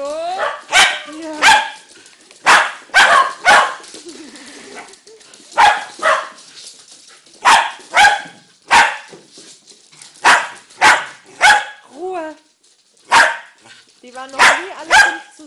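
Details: Dog barking repeatedly over about fifteen seconds, short harsh barks often in pairs or triplets, some ending in brief whining tones, with faint speech in gaps.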